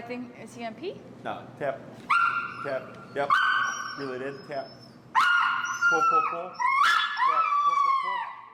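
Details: Finn, an extremely vocal dog in recall training with an e-collar, whines in long, high, steady tones that bend down at their ends, several drawn-out cries in a row, with a person talking in between.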